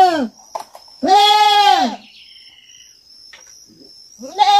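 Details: Farm-kept young goat: a short bleat, then a strong drawn-out wavering bleat, a quiet spell with a thin high hum and faint distant calls, and the start of another bleat at the end.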